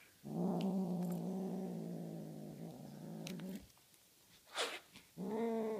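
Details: Tonkinese cat Honey Butter guarding her feathery prey toy: a long, deep, grating growl of about three seconds, then rustling and bumps, before the growl starts again at the end.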